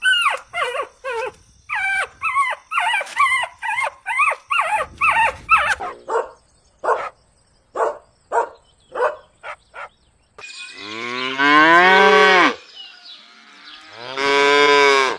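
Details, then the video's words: Puppies drinking milk on a lush green meadow: a rapid run of high, squeaky yips over several seconds, then spaced single barks, ending in two long, strained, rising whines. "Cute Barking Sounds"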